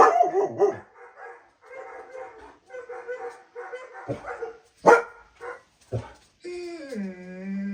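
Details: German Shepherd reacting to the sounds of other dogs: rough, clustered barks and grumbles, a couple of sharp bangs, then a long whining howl that slides downward and levels off.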